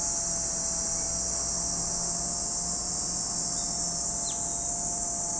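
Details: Continuous shrill cicada drone beside Lake Kamo, Sado City, Niigata Prefecture, Japan, holding an even high pitch throughout; one short chirp from a bird cuts in near the end over a faint low hum.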